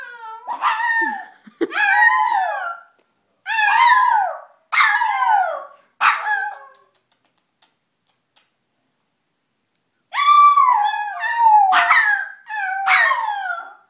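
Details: Pet dog howling in a run of loud, wavering, yelping howls with rich bright overtones. A pause of about four seconds is followed by another burst of rising-and-falling howls.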